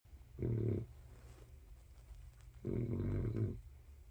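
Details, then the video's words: Sleeping pet dog snoring indoors: two long, low rumbling snores, each just under a second, spaced about two seconds apart, with quiet breathing between. "snores of Budgie dog"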